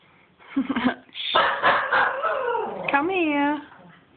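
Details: Playful dog going crazy: harsh, overlapping barks and growly yowls blur together, then a wavering, rising-and-falling tonal howl, with a person's voice mixed in.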